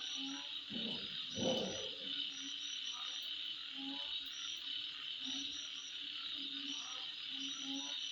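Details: Midnight insect chorus, a continuous high-pitched buzzing hum with quick chirping pulses on top, while brief low tones sound irregularly, about ninety a minute, and a louder low rustle comes near the start.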